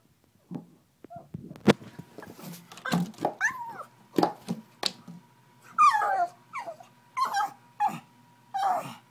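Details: Pug, angry and straining to reach a bottle, lets out a string of short wavering whimpers and yelps, growing more frequent in the second half, amid sharp knocking and scraping sounds.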